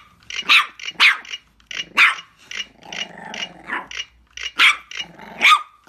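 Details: A female Boston Terrier gives sharp, high yapping barks in quick irregular bursts with a rough growl between them, apparently while playing.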